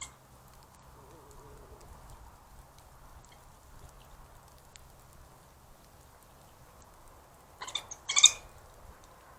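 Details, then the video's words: Three badgers play fighting at night near a trail camera in Cambridge, UK, 4 March 2022, 9:19 pm; a long quiet stretch with low hum, then two brief, harsh, broadband squealing bursts close together near the end. "3 Badgers play fight with funny sounds"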